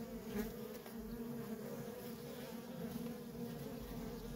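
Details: Feral honey bee colony with nonstop worker traffic: an unbroken low buzzing drone, individual bees passing close and briefly rising above the steady hum.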